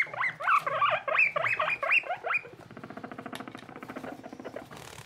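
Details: Baby skinny guinea pig named Boniface, newly paired with his friend Pushok, kept as pets: a run of about ten short squeaky chirps, bending up and down, in quick succession, then a fast soft pattering rattle.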